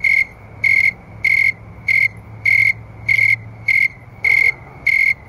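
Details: Snowy tree crickets at about 9 PM on an August night in 2011, around 70°F, sing steady, pure, high-pitched chirps evenly spaced at just under two per second; they sing faster when warmer.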